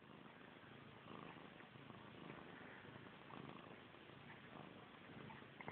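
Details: Missy Grey, a pet cat fixated on her tail, gives a continuous low rumbling purr with gentle rhythmic pulsing that swells slightly at about one second and stays even to the end.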